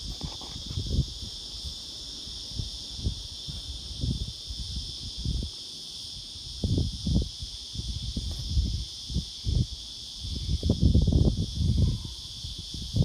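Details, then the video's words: Black prince cicada: a steady, high, even buzzing drone runs unbroken throughout, under loud, irregular low thumps and rustling bursts. "black prince cicada sound effect"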